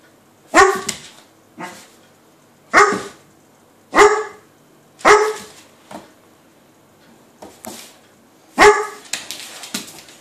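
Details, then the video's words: A Weimaraner wanting to play with a cat that sits on the other side of a door, giving sharp harmonic barks spaced irregularly, six or seven over ten seconds, with quieter scuffling between them. "Weimaraner trying to play with cat"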